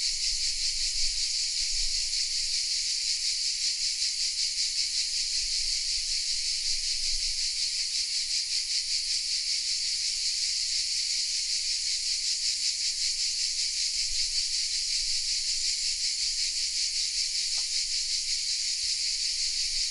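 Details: Cicadas hidden in oak trees of the small village of Vézénobres in the south of France, recorded with a Sony RX10 M3 camera; a dense, continuous high buzzing chorus, steady in loudness throughout, with faint low rumble beneath.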